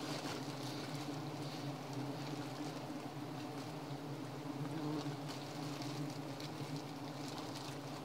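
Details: A dense, unbroken swarm drone from giant honey bees (Apis dorsata) during honey hunting, low and steady with faint higher hiss, holding level for the whole stretch without pauses.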